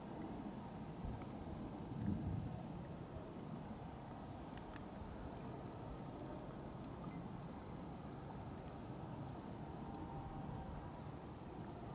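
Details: Steady low rumble of wind and distant traffic across open flats, with no animal calls standing out.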